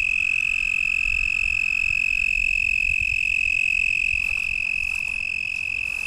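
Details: Nearby toad at Lake Worth, Texas, at night in April 2010, approached in the dark by a lakeshore: a loud, sustained, rapidly pulsed musical trill, very even and continuous, with faint clicks near the end.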